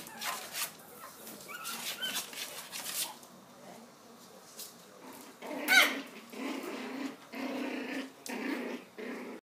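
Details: Hand-raised purebred Pomeranian puppies from a champion-bloodline litter giving scattered yelps and whimpers, with a sharp squeal near the middle and steady low whining toward the end.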